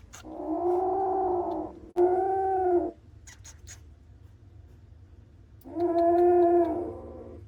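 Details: Kittens that came into a house for shelter on a rainy day, one of three: long, drawn-out, nasal cries, two close together and then one more after a pause. A low steady hum runs underneath, with a few faint clicks between the cries.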